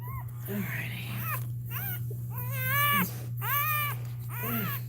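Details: Cane Corso crying indoors while another dog, Cashmere, is in labour: drawn-out, arching tonal whines, several in a row with short gaps, over a steady low hum with faint voices in the room.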